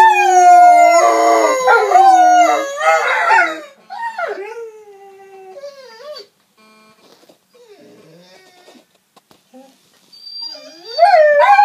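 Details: German shorthaired pointers howl together in long, wavering, tonal wails that rise and fall, listening to themselves howling.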